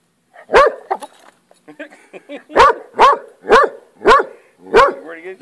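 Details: Hound barking at a lizard it is fixated on: an opening bark, then a man talking, followed by a run of six loud, sharp barks at roughly half-second intervals, with voices heard faintly between them.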